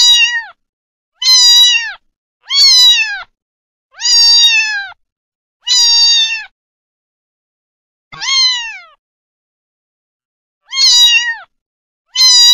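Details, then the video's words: A kitten meowing: high, harmonic-rich meows, each slightly rising then falling, repeated about every one to two seconds with clean silence between, eight calls in total. "Gatinho Filhote Miando"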